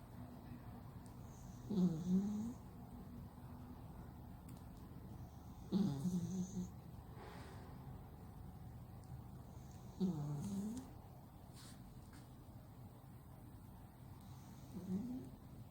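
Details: Loud snoring from a deeply sleeping male cat with a flat nose: four low, rasping, nasal snores, each about a second long, recurring roughly every four seconds, with soft breathing between them in a quiet room.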